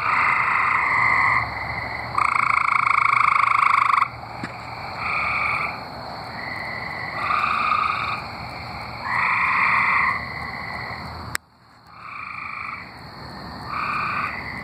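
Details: Tree frogs in Arkansas call in a steady chorus of short, bright, nasal notes repeated several times a second.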